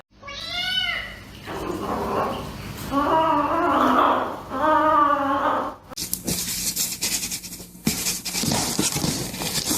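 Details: Pet cat gives a short, high meow with a sharp rise and fall, then drawn-out, wavering mid-pitched yowls. The sound ends in loud, broadband noise.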